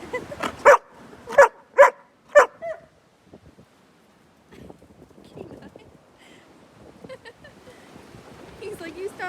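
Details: Pack of dogs playing outside on a very windy day: four sharp, loud barks in quick succession over two seconds, then quieter scattered rustling and soft background noise.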